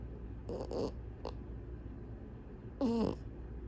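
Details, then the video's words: French Bulldog snoring while asleep with its eyes open: a few short, rough snorting bursts early on, a long quiet pause, then one louder, wavering nasal snort near the end, in a quiet room. "Cute French Bulldog Snores with eyes open."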